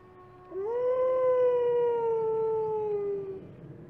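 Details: A single wolf from a howling pack gives one clear, sustained howl that swoops up at the start, then holds nearly level and slowly sinks over about three seconds before fading out.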